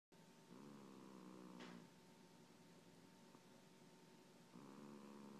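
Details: Trixie, a pet cat, snoring while asleep on a lap indoors: low, droning breaths with a buzzy harmonic tone, two long snores about four seconds apart, over a faint steady electrical hum.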